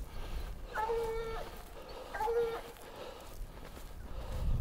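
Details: Rambler, a Black and Tan Coonhound, bays at a den tree holding a raccoon; two drawn-out, ringing bawls a little over a second apart, with quiet outdoor background and a soft thump at the end.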